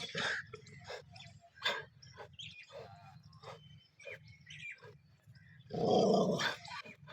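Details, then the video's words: Pet dogs fighting each other: scattered rough growls and short snarling bursts over a steady low hum, then a loud, harsh outburst near the end. "dog sound (my paltu dog aapas Mein Lad Paya Hai)"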